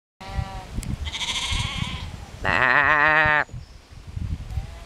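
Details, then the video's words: Dutch sheep in a meadow near a ditch at a museum garden in Hardinxveld-Giessendam, Alblasserwaard, answering a person; two drawn-out, wavering bleats, the second louder and quavering, over low rustling background. "Talking with Dutch sheeps"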